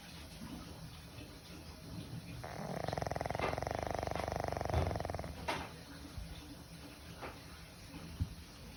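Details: Old pug snoring like a human, indoors: one long buzzy rasping snore of about two and a half seconds, a rapid rattling pulse train, with quiet breathing and faint clicks before and after.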